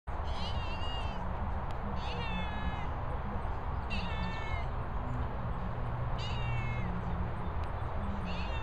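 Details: Cat kept with guinea fowl, meowing repeatedly: short, falling, slightly wavering calls about every two seconds, heard over a strong low rumble like wind, with faint low background sounds.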